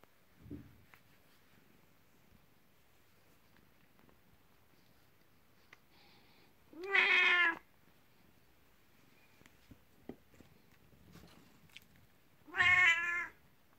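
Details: Elderly house cat Kuku, aged nineteen, calling to invite and welcome its owner at bedtime indoors; two loud harmonic meows about six seconds apart, each slightly rising then falling, with faint rustling between.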